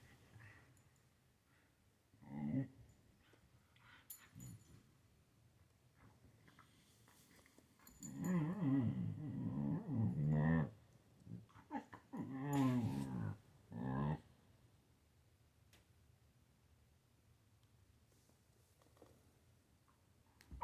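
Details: Siberian Husky growling while playing with a kitten: short throaty bursts near the start, then a long, rough, rumbling growl of about two and a half seconds, followed by several more grumbling bursts before quiet.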